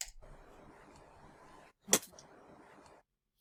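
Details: Domestic cat Vimsan spitting at another cat, Gray White, before hissing: a long, steady, breathy hiss interrupted by one sudden, explosive crackling spit burst, indoors.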